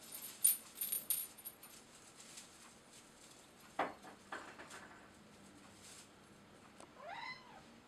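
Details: Bengal cat Loki at his second Christmas tree indoors, batting baubles. Rustling and tinkling bauble clinks fill most of the stretch, then one short harmonic meow rises and falls right at the end.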